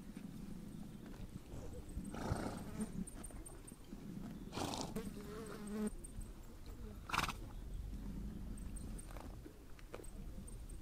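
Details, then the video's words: Horses on the Mongolian steppe: a wavering harmonic whinny rises out of a low rumbling background around the middle, framed by short broadband snort-like bursts and faint distant high tones. "Relax listening to the sound of horses"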